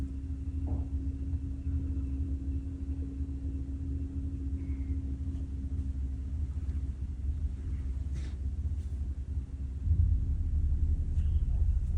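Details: Constant low rumble like an idling vehicle with a steady hum and occasional faint ticks, no animal calls.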